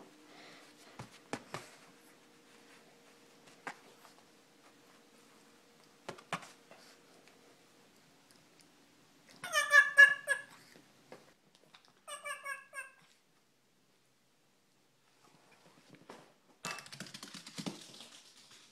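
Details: Peanut, a female Shih Tzu, barks sassily: a quick burst of high, yappy barks in the middle, a second shorter burst soon after, and a rough final outburst, with scattered knocks and thumps around them.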